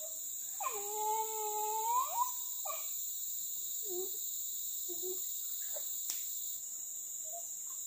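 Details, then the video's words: Village dog in a pack hunting crop-raiding monkeys in trees at a river's edge; one drawn-out, wavering whine lasting over a second and rising at the end, then faint scattered yaps, under a persistent high insect drone. "Suara anjing berburu monyet di atas pohon dan pingiran sungai"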